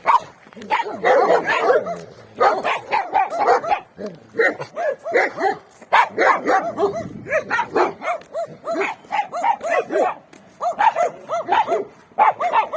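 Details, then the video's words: Free-range street dogs in a winter setting, a few behind a fence, barking together in a busy, overlapping chorus; bursts of quick barks broken by short pauses, several voices at once. "Free range dogs barking on the street"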